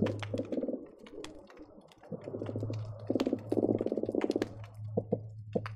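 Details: Croakers heard by hydrophone under the Marina Drive bridge, Seal Beach, on a busy underwater day: soft buzzy pulsed bursts building into a louder rapid knocking run, over a constant low hum with sporadic snapping pops.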